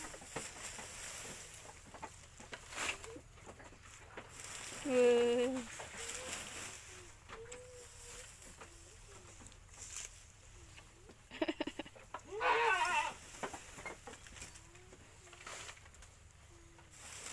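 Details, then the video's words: Domestic goat belonging to a grandparent in a village, calling while being fed: two loud, quavering bleats, one early and one later, separated by quiet stretches of rustling, faint voices and soft background noise. "kasih makan/kambing/punya Mbah/di kampung"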